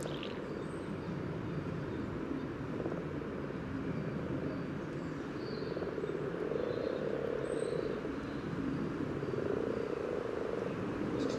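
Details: Many common frogs in a spawning gathering along the yellow trail, Sunnersta, Uppsala, captured through a parabolic dish and Olympus LS14; steady low murmuring purrs merge into a thick chorus, a few distant bird chirps overhead.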